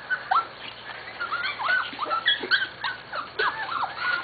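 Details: Corgi puppies from two litters almost seven weeks old, whimpering and yipping in a series of short high whines that rise and fall, several pups calling over one another.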